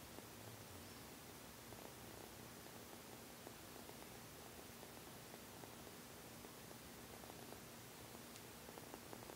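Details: Pet cat Seol-i shows pleasure at having its belly stroked with a continuous, even purr, a low throbbing drone that holds steady throughout, set against quiet static-like room noise.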